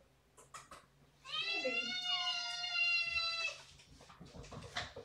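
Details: Cat demanding his dinner indoors: one long, strained meow lasting about two seconds, holding a steady pitch before falling away, with faint rustling and handling noises around it.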